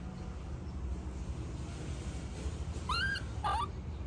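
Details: Baby monkey throwing a tantrum as its mother leaves: two short tonal cries, each rising then bending, with bright stacked overtones, near the end over a steady low rumble of background noise.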